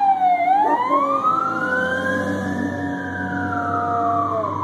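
A Chinook dog howls along with a wailing fire-truck siren, its voice dipping and then rising in a long arc.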